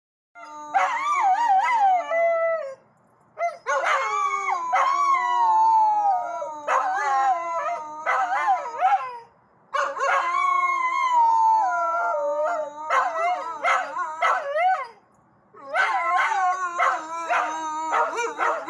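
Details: Pet dogs howling in response to a passing fire truck siren, a call-and-response instinct; several voices in long wavering, rising and falling howls in four sustained bouts separated by short pauses, with a steady high siren tone running alongside.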